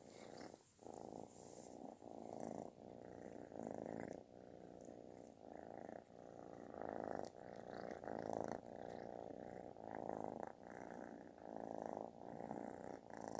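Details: A kitten seeking affection purrs so loudly it sounds like snoring: steady rumbling buzz pulsing in regular breaths about every one and a half seconds, each swell loud, separated by brief quieter gaps.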